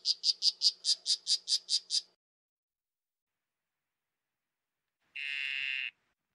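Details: Poison dart frog giving about ten quick, high, evenly spaced chirps over two seconds, then silence, followed by a single short buzzy trill lower in pitch lasting under a second.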